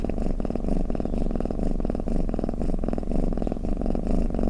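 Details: Cat's snore-like purr: a thick, low vibrating drone rising and falling with regular breaths, about two per second, in a quiet setting.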